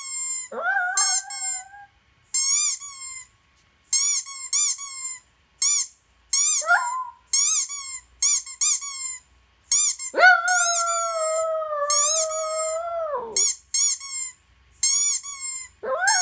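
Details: Male toy poodle howling in response to squeaky toy sounds played from a laptop: sustained, tonal howls with a sharp rising onset, the longest holding steady for about three seconds, interleaved with bursts of rapid, high-pitched squeaks from the toy.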